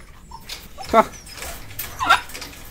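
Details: Farm dogs in a Chinese village on a snowy day, fed from one bowl each; two short sharp barks about a second apart stand out over a quiet background with faint speech.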